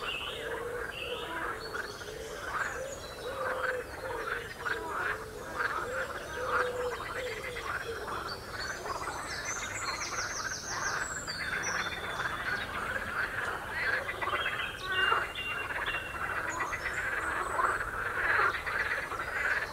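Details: A chorus of many frogs on the Royal Military Canal near West Hythe. Continuous overlapping croaks come as rapid pulsed rattles and chuckles, swelling and fading without pause, with faint high bird twitters in the background.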